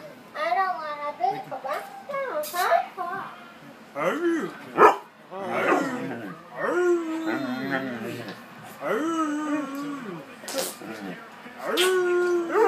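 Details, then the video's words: Alaskan Malamute mix talking with its owner while getting treats, giving a run of wavering, yowling howl-like vocalizations that rise and fall in pitch, with a man praising it as a good boy and a child making sounds nearby. "Malamute Speaking for Food"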